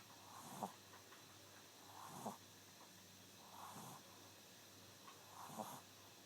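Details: An 11-week-old Shih Tzu puppy naps indoors at a relative's house, snoring softly. Four slow, breathy rasps come about every 1.6 seconds over a quiet, steady background hum.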